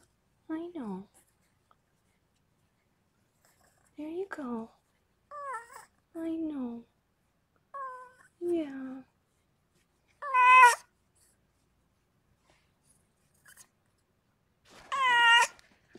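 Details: Rescued pregnant cat Harlequin, a foster cat, giving birth to six kittens indoors: seven loud, drawn-out harmonic meows spaced a few seconds apart, the last two higher and strained, with soft quiet pauses between.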